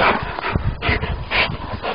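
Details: A Rottweiler playing with a wolf in a park, panting hard in loud rhythmic breathy puffs with low rumbling, while a woman speaks French nearby.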